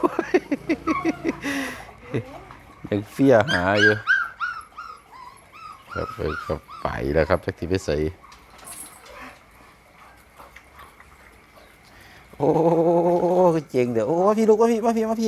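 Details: Grown-up Pit Bull puppy giving sharp, quick yelps at first, then long wavering whines that rise and fall, with bursts of human laughter and talk between them.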